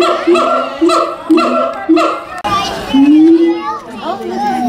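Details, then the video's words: A siamang at Tulsa Zoo on 21 December 2017 sings a run of quick, evenly spaced hooting barks, then a longer rising note. "Siamang "Caroling""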